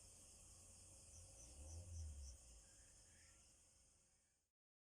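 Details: A green insect gives a loud, steady, high, shimmering buzz in the dark, holding on without a break over low rumbling noise.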